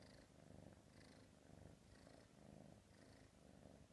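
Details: Purring from a female F3 silver spotted Savannah kitten: a soft, steady rumble that swells and eases about once a second with each breath, close and quiet.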